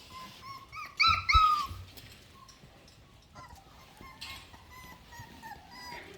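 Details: A Miniature Australian Shepherd puppy, 4.5 weeks old, complains with a loud burst of high, squeaky, bending whimpers, followed by softer, scattered whines, while a woman coos nearby.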